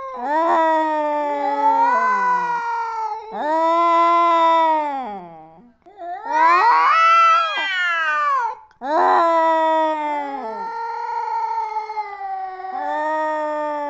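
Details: Cats fighting with loud, drawn-out yowls. Each wailing note lasts two to three seconds, rising and falling in pitch, with about five long bouts separated by short pauses and one wavering, higher peak midway.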